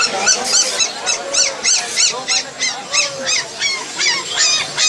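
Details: Rottweiler puppy at Galiff Street giving rapid, high-pitched arched yelps, about three per second, each with bright overtones, in a steady run over faint background street noise.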